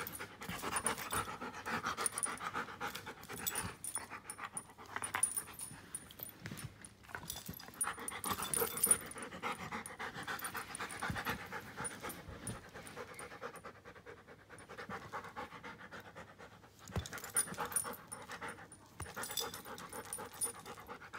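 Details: Giant schnauzer named Klara, aged one year five months, panting in quick rhythmic breaths, about four per second, with soft bursts of breathy noise and some quieter pauses; a faint high steady tone runs in the background.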